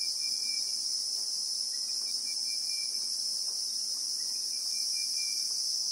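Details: Constant shrill buzzing of Christmas beetles (Anoplognathus), heard in real time in South African bushveld; the high insect hum stays level throughout while faint, thin whistles drift in and out at a lower pitch.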